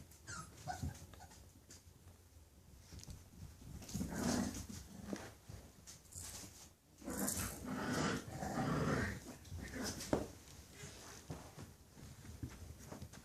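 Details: English Bulldog puppies indoors in a small room, with soft, rough growls and wheezy snuffling in irregular bursts, loudest around four and eight seconds, over a low steady hum.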